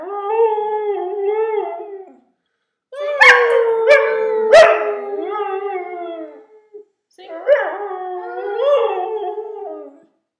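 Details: Two-year-old pure-bred Siberian husky Denali singing: sustained mournful howls with rich harmonics, pitch dipping and wavering, interrupted by abrupt yelping accents, then another rising and falling howl after a short pause.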